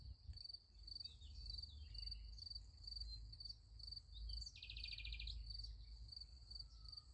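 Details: Crickets at night beside a sunflower field: a steady, high, finely pulsed trill runs unbroken throughout, with a brief buzzy burst midway and a low rumble underneath.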